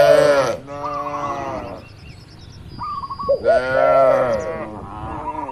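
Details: Farm cattle walking and feeding on grass in an open field; a drawn-out, harmonic moo opens, a second lowing rises later, with brief cooing bird notes and a faint high tone in between.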